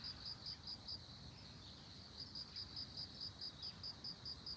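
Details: A bell cricket among globe amaranth rings out a pure, high, evenly pulsed chime, notes tumbling in fast regular groups with brief gaps, quiet rumble underneath.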